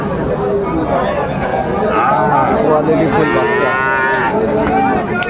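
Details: Sahiwal bull calf at Aftabganj cattle market in Dinajpur, Bangladesh, on 1 July 2025, as trading opens. A drawn-out, harmonic moo swells midway and a second lowing follows, over steady crowd chatter and men bargaining.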